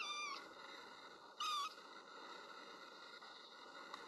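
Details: Little kitten crying as it looks for its mother: two brief high meows, one at the very start and one about 1.4 seconds in, over a constant electrical-sounding hum.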